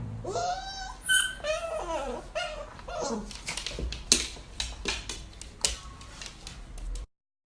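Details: Siberian Husky vocalizing indoors in a small room: wavering, bending whines and howl-like notes sliding up and down through the first three seconds, then a string of short sharp yips and clicks.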